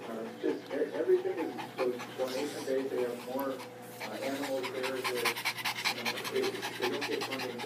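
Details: Shih Tzu that dislikes the rain, panting rapidly and steadily indoors, the quick breathy bursts strongest in the second half, while a woman speaks soothingly over it, urging the dog to settle down.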